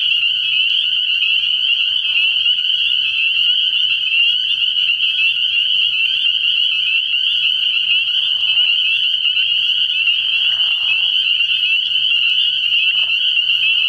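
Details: Spring peepers in full chorus at a frog pond on an early spring night, shrill high peeps running together without pause, interrupted by several short, lower raspy calls scattered through the recording.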